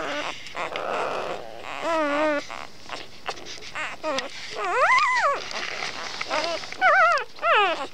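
A young Labrador Retriever howls in a string of thin, quavering cries, each bending up and down in pitch. The notes come in short bursts with brief pauses, some ending in soft whimpers.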